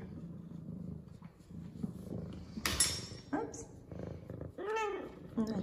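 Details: Zara, an F2 Savannah cat, excited after her morning shower: low purring underneath, then a couple of short arched meows toward the end, mixed with a woman's voice and a brief noisy burst.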